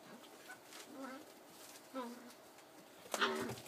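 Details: Collie puppy, 47 days old, filmed on 4 July 2013, giving two short high whimpering whines about a second apart, then a brighter squeal near the end, with soft human voices in the background.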